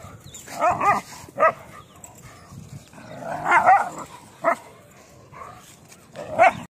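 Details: Rajapalayam dog and German Shepherd in a real fight, with short harsh barks and growling snarls in irregular bursts, several clusters spread across a few seconds outdoors.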